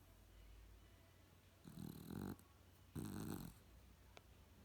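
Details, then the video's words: A snoring dog gives two harsh, rasping breaths about a second apart in a quiet room, followed by a faint click. "snoring dog"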